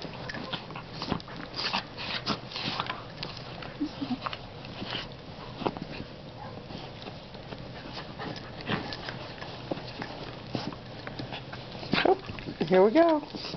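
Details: Pair of foster Dachshunds wrestling in play at night indoors, one a double dapple; steady rustling and snorting scuffle, ending in a burst of rising, whiny growls and yelps near the close.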